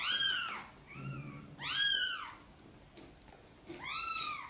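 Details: Sonny, a mother cat, gently meowing indoors to ask for help bringing her tiny kittens into the nest: three arched, harmonic meows, loud ones at the start and end with a softer, shorter one between them.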